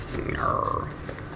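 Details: Pet male fox at play with its keeper in the morning, tugging toward its den: one short whining call that slides at mid pitch and then falls away, with a woman talking just before and after.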